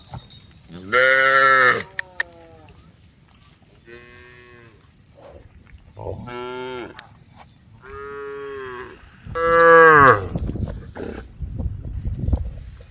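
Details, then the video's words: Cattle calling the herd on a road, a tame group lowing again and again: five moos across thirteen seconds, some loud and rising, others softer and flat, with low rustling noise underneath. "the sound of cows calling the herd"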